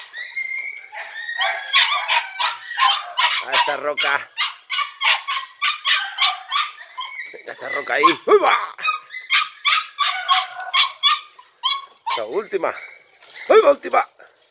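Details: A young litter of Podenco Andaluz, four pups about three and a half months old, yaps excitedly in a riding ring on its first visit; dense overlapping high barks run almost continuously, with a man's voice mixed in.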